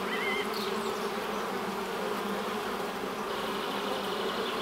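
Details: Dense, unbroken buzz of honey bees around the hive entrance, a broad rushing hum with a steady low tone, faint bird chirps at the opening seconds.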